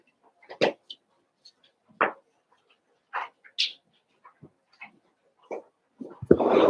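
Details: Cavalier King Charles Spaniel puppies, Daisy's six litter merged with Robin's two pups to make eight, playing indoors; short sharp yips and barks scattered every second or so, with a louder scuffling noise at the end.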